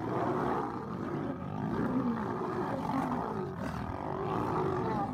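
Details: Lions in a fight, with several females attacking a male as they compete over a mate. A continuous, rough, low growling and roaring runs throughout, thick and noisy, with no clear pauses.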